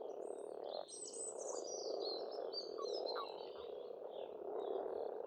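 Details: Spring pond in Estonia with a steady frog chorus, a thick unbroken croaking din, overlaid by busy high twittering and warbling from several songbirds.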